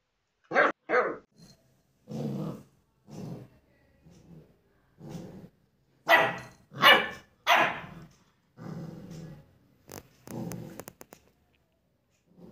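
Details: A German Shepherd puppy in a study room in India, reacting to a mirror, gives short, sharp barks in irregular bursts mixed with low growls.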